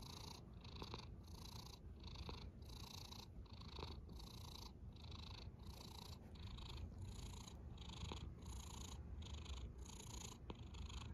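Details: Sleeping domestic cat snoring softly, with a steady breathy rasp that swells and fades in regular cycles just under a second apart, each breath carrying a low rumble beneath a hissy upper edge, in quiet indoor surroundings.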